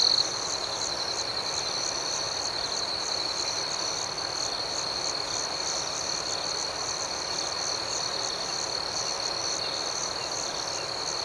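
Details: Nighttime cricket chorus: a continuous shrill ringing tone underneath rapid, evenly pulsed chirps higher up, going on without a break over soft background hiss.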